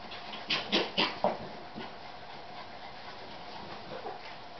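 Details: Fourche Terrier puppy sisters, a Westie and Yorkie cross with salt-and-pepper brindle coats, recorded September 2011: four quick, high yips in rapid succession early on, then faint scattered whimpers over a steady background hiss.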